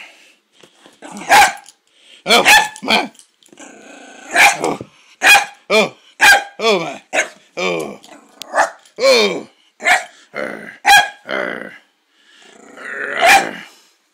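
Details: Pet poodle playing a fighting game with its owner under a blanket indoors: a loud run of short, harmonic growl-barks and snarls in bursts about every half second to second, with a brief pause, and a person's voice now and then.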